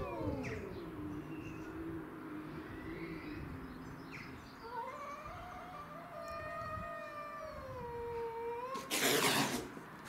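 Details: Domestic shorthair cats Tom, black and white, and Mimi, white and ginger, with a grey-and-white neighbourhood stray fighting over territory: long drawn wailing howls sliding up and down, overlapping, ending in a loud burst of hissing spit.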